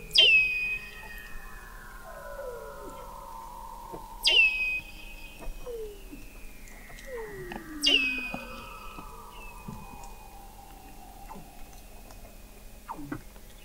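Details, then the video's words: Weddell seals singing beneath thick sea ice in McMurdo Sound, Antarctica, captured in November 2017 at an observatory 21 m below the ice: loud descending whistles every few seconds, each sliding from high to a steady tone, over many overlapping falling glides and chirps. "Song of the Antarctic Weddell Seal"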